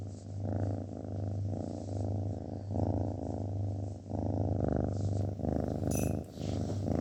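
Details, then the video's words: Domestic cat purring steadily: a deep, continuous rumbling drone that swells and eases with each breath, about 26 cycles a minute, with a short break near the four-second mark and a brief clink near the end. "kedi mırıldanması hastalıklara şifa oluyor"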